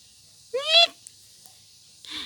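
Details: Young village kitten (kucing kampung) giving a short, clear, rising-then-falling mew, followed by a fainter second mew about a second and a half later, with Indonesian speech nearby.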